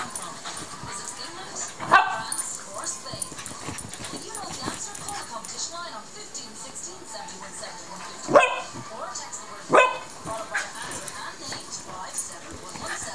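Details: Yorkshire Terrier giving three short, sharp barks, near the start and again close together toward the end, while people talk steadily throughout.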